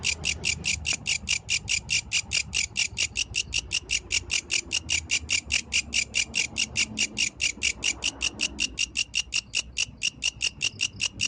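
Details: At night, a yellow grasshopper keeps up its metallic, buzzy chirping, evenly spaced high pulses around five each second, over quiet low background noise.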